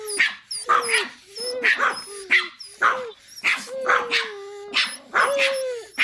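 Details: Small dogs yapping in a fast, regular series, each bark carrying a short tonal whine, roughly two barks per second.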